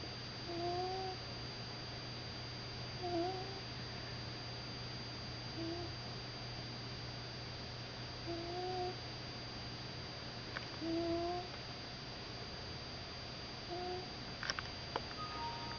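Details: Misty, a 15-year-old Persian Himalayan cat, snoring: soft, whistling nasal tones recur every two to three seconds in paired in-and-out breaths, over a constant electrical hum, with a few brief knocks near the end.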